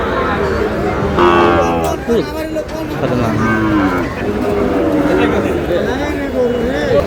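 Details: Sahiwal bull calves at a cattle market, with a farmer from Chittagong, Bangladesh, buying, on 28 August: several overlapping low, harmonic moos rise and fall amid steady crowd chatter and nearby voices.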